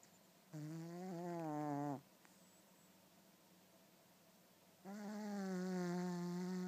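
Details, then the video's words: Rocky, a pet cat, snoring like a horse while asleep: two drawn-out, buzzy, droning snores with a low rasping tone, the second longer, separated by a quiet gap of breathing hiss. "Snoring Cat"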